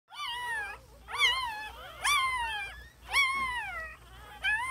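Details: Newborn puppies whining in four drawn-out harmonic cries that rise and then fall, each about a second long and separated by short pauses, with a quieter fifth cry starting at the end.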